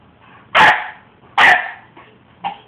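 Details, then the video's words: Upset almost five-month-old pup barks twice, loud and abrupt, nearly a second apart, then a brief quieter yip; a man's voice speaks around the barks. "Munster speaks his mind again"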